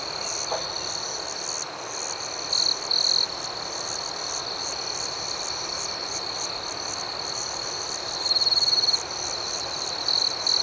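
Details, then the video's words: Crickets at night: a steady, high, shimmering chorus with a fainter pulsing buzz above it, broken by louder, sharper trills from a nearer cricket at about three, nine and ten seconds. "Soothing Cricket Sounds"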